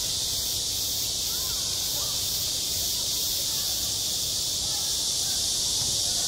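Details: Cicadas droning on a school playground in midsummer, a steady hissing chorus at constant loudness, with a few faint background voices.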